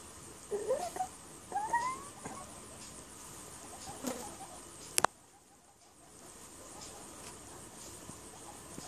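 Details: Young guinea pigs popcorning with mum Pippa and siblings Precious, Peatie, Pebbles and Petal; two short rising whistled squeaks in quick succession, a fainter squeak later, amid light scuffling and a sharp knock.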